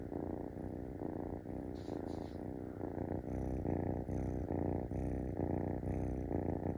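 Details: Munchkin kitten perched on a person's stomach, asking to be stroked; loud continuous purring with pulses about twice each second, plus a few soft rustles or clicks above it.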